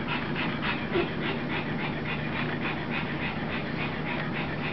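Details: Rosie, a puppy playing with its mother, pants in quick breathy bursts, about three per second, in a steady rhythm through the whole stretch over a faint low indoor hum.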